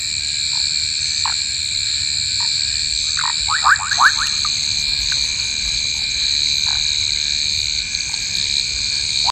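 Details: Pond recording of Southern foam nest frogs, with a giant water bug capturing a large frog: sparse brief upswept chirps, then a rapid burst of about five near four seconds, over constant insect buzzing.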